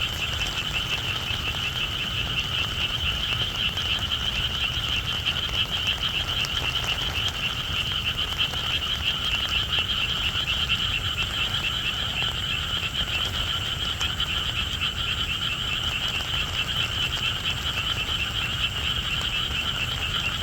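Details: Rainy-night frog chorus: many frogs trilling together in a sustained, shimmering high drone, steady throughout, with rain hissing and pattering underneath.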